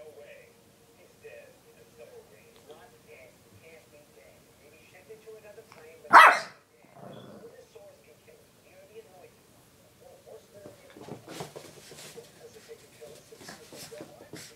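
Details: Bailey, a male Shih Tzu, plays with his Kong toy and lets out a single sharp, loud bark midway. A faint steady squeaky tone and quiet human speech run through the recording, with soft rustling near the end.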